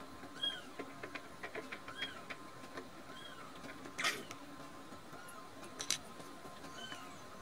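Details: Rescued baby kittens Nan-chan and Cookie-chan, sleepy with bellies full of milk, give soft arched mews at irregular intervals, mixed with small clicks and rustling taps against a quiet background hum.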